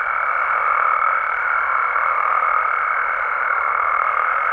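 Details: Night chorus of Mexican frogs and toads in the wild, a thick continuous croaking wash with one steady, higher, tone-like voice held above it throughout.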